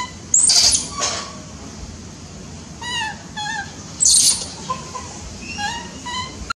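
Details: A tiny baby monkey gives short, high, squeaky chirps. Some are single notes and some come in quick pairs, several times over. Loud bursts of rustling or handling noise break in twice.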